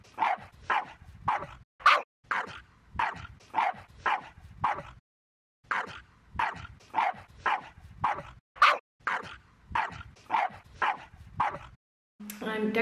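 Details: Staffordshire Bull Terrier on a very cold winter day of dog sports in the Netherlands, giving sharp, evenly spaced barks about every two-thirds of a second, with a brief pause midway and a short burst of other sound at the end.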